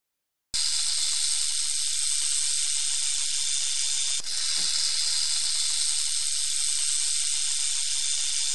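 A rattlesnake's rattle: a steady, dry, high buzzing hiss that runs unbroken for about eight seconds, with only a momentary falter midway.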